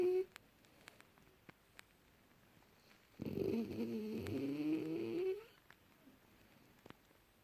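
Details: A young French Bulldog in deep sleep, January 2018, gives one long rattling snore of about two seconds, whistling and wavering in pitch, between quiet stretches with small clicks.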